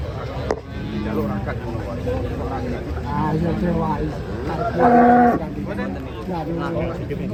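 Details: Huge cow coming down off a tilting truck, lowing in several low hums before one loud, clear, sustained moo in the middle, with people talking and vehicle noise around it.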